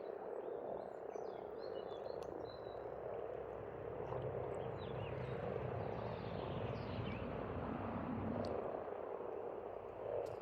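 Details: Dense croaking chorus of frogs at a pond in Estonia in spring, continuous and pulsing, with a low droning engine hum underneath and occasional distant bird calls.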